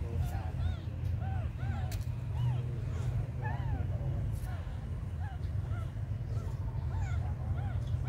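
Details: Several faint, thin mews from small abandoned kittens recur every second or so, soft and short, partly buried under a heavy low rumble.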